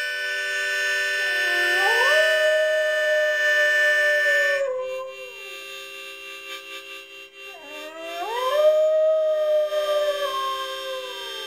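A German Shorthaired Pointer gives two long, rising howls over steady harmonica notes.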